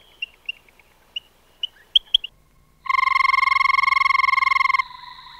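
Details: Frog. Several brief, high chirps come first, spaced irregularly. Then a frog breaks into a loud, rapid, buzzing trill of evenly pulsed notes lasting about two seconds, ending on a steadier, thinner tone.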